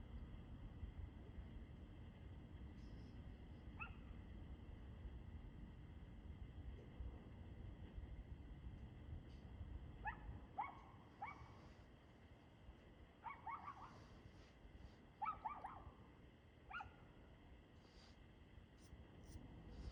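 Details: Dog barking in the evening, 6:02 pm on 2/6/2024: after a quiet opening, clipped barks in pairs and triplets pick up from about ten seconds onward, above a rumbling background.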